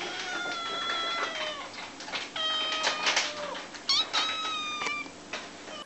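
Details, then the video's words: Several small kittens meowing for their owners' attention, with bright, high, harmonic cries overlapping closely, some steady and some sliding, in a near-continuous chorus across about six seconds. "Little Kittens Meowing"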